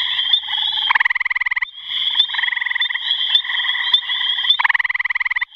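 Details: Gray tree frog calling: loud, rapidly pulsed musical trills, each lasting under a second, repeated through the clip, with a steady high ringing chorus continuing behind them.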